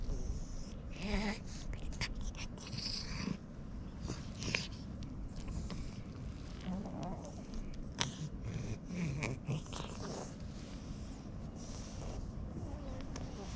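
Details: Cat with a cute voice, being stroked and huffing through its nose in delight, gives short soft meows near one and nine seconds over a steady low purring rumble and scattered rustling.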